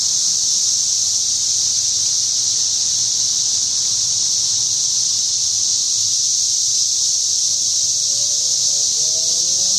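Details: Cicadas chorusing outside a house: a continuous, steady, loud high-pitched drone without pause, with faint low rumble beneath and a few faint rising squeaks near the end.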